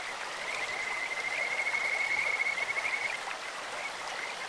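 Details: High, sweet trill of a Kajika frog beside a clear stream. It is rapid and pulsed, builds in loudness over about two seconds, then tails away, backed by continuous water noise.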